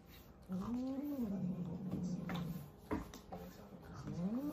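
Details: Cats in a fight give a long, low, moaning yowl that rises, sags and is held for about two seconds, then a second yowl begins to rise at the end, with sharp knocks in between.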